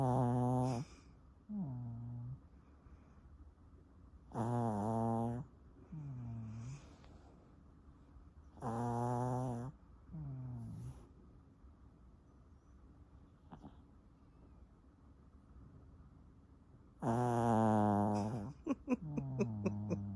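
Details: Pomeranian called Sunoama snoring heavily: loud raspy rattling inhalations roughly every four seconds alternating with quieter low groaning exhales, a long quiet pause midway, then a final loud snore with a few clicking sounds.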